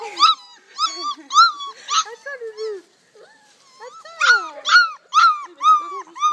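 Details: Four-week-old Malinois puppies from a litter of eight, seven males and one female, born 9 October 2014, give high, bending whimpers and yelps about twice a second, with a brief pause midway before the squealing resumes.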